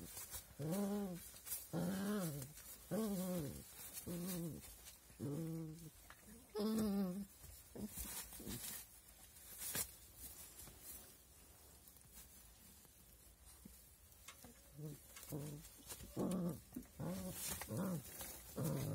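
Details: Young puppies calling in quick bursts of high, bent whimpering yelps, about one a second at first, then a quieter stretch before another run of shorter squeaky calls toward the end.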